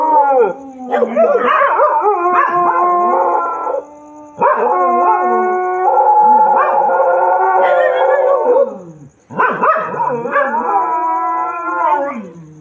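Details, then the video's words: Night-time crying of dogs: long, sustained, wavering howls in three main bouts, separated by short pauses, each howl sliding up and down in pitch and fading at its end. "रात में कुत्तों का रोना"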